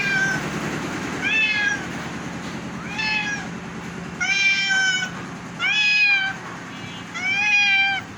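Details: {'caption': 'Ill house cat calling persistently while offered fish: six loud, clear meows in quick succession, each rising then dropping in a short arch, about one every 1.2 seconds, with faint background hum.'}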